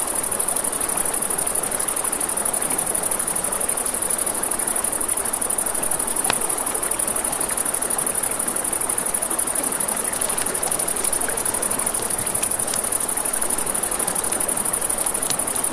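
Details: Crickets singing at night along a river beside a crackling campfire: an unbroken, thin, high trill throughout, layered over constant water rush, with occasional sharp pops from the flames.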